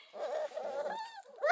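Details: Sassy, wrinkly male Redbone Coonhound puppy, four weeks old, in a litter kept near Kingston, Ontario, Canada. He gives a rough, raspy, growling bark in two bursts, then a thinner whining tone, and ends with a sharp rising yelp.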